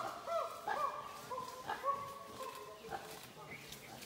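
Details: Chimpanzees calling in the wild in Uganda, heard from the trees and ground while tracking: short overlapping hoots and wavering, sliding cries at mid pitch, with uneven spacing and moderate loudness.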